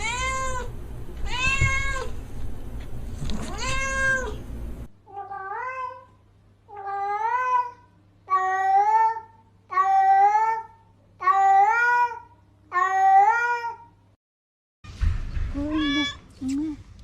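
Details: Domestic cat meowing: a series of about eight clear, harmonic meows, each rising then falling, repeated roughly every second or two, with a louder, rougher stretch at the start and a strident cry near the end.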